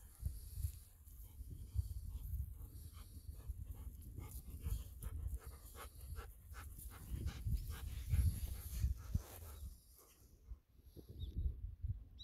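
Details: Ibuki, a Golden Retriever, panting after running through rice fields under a cloudy winter sky; fast, rhythmic breathy huffs repeat steadily for about ten seconds, then fade briefly before resuming, with low wind rumble outdoors.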